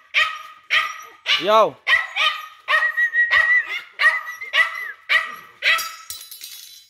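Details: Repeated sharp dog barks, about two per second, with one curving whine-like yelp early on and a brief hiss at the end.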